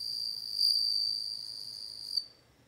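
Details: Bell cricket singing: a steady, bright, high ringing trill held for about two seconds, swelling slightly before stopping abruptly, with a faint low hum underneath.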